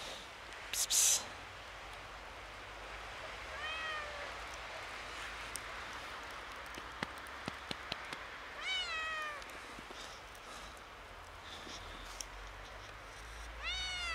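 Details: A kitten, a little scared on seeing snow for the first time, gives three descending harmonic meows spaced several seconds apart, with a sharp loud noise near the start and scattered crisp clicks and crunches between calls.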